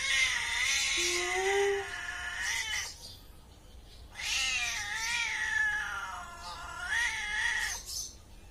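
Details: Cat giving long, drawn-out yowling calls, two sustained wails of nearly three seconds each separated by a short pause, harsh and richly overtoned with wavering pitch, plus a brief low tonal note near the start.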